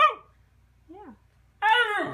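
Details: Sequoia, a female Siberian Husky pet in her first year, gives a faint rising-falling whine, then one loud harmonic yowling bark near the end, indoors in a small room.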